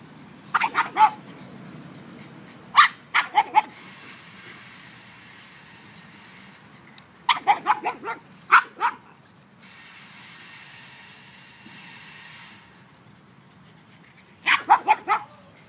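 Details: At play, a one-year-old mastiff and two pugs trade clipped barks in clusters of two to four, with faint background hiss between the bursts.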